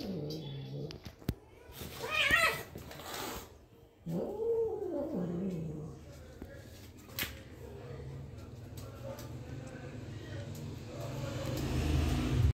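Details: One-year-old domestic cat fighting with its mother cat; a brief harsh squall, then a low, arching growling yowl, amid scuffling thumps and rustling noise, with a low hum building toward the end.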